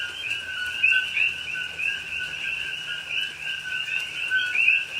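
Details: Coqui frogs in rainy Hawaiian rainforest at night, Pahoa, recorded October 2021: layered two-part whistled calls from several frogs, roughly three per second across the chorus, each a flat low note and a rising higher chirp, over rain.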